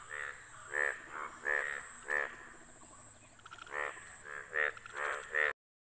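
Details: Indian bullfrogs, hundreds gathered in front of a house, out for mating; loud nasal croaks repeated roughly every half second to second, several frogs overlapping, with a steady high hiss in the background.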